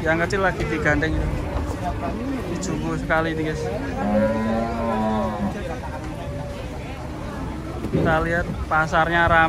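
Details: Huge banteng cattle rampaging as they are unloaded from a truck in Indonesia; a long, steady, low moo dominates the middle, framed by shouting men's voices and a rumbling engine.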